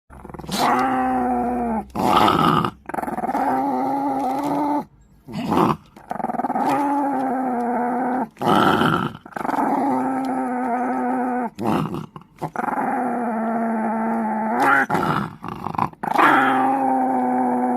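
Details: Chihuahua growling in long sustained bouts of several seconds each, low rumbling tone with steady harmonics, broken by short gaps and a few sharper yaps; indoors.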